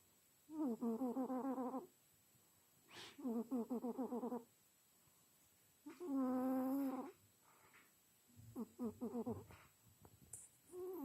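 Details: Sleeping pet cat snoring contentedly, giving a run of five rough, buzzing, harmonic snores. Each lasts one to one and a half seconds, separated by short silent gaps, with a brief faint click in one pause.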